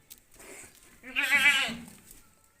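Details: Sirohi goat at a goat farm, a single wavering bleat lasting under a second with a rich harmonic stack, preceded by a fainter soft bleat.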